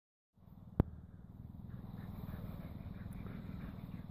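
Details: A blue Staffordshire Bull Terrier pants rapidly after a walk, a rhythmic low huffing that runs on without pause; a single sharp knock sounds near the start.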